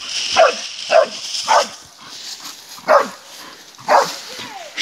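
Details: A Bull Terrier attacking a wild boar gives sharp, rough barks in short bursts, with a person speaking nearby.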